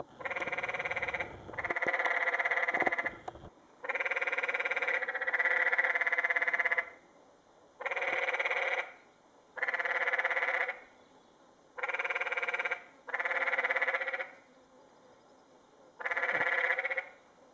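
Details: Several canyon tree frogs in a water pool in Secret Canyon, Sedona, Arizona, 2011, one climbing out, give a long series of loud pulsed rattling trills, each about a second, repeated with short gaps, overlapping early on.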